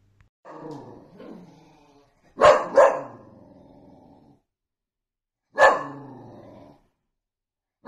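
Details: Playful Dachshund, a pet sausage dog indoors: a soft whining growl, then two sharp, loud barks in quick succession, a pause, and one more bark after about three seconds.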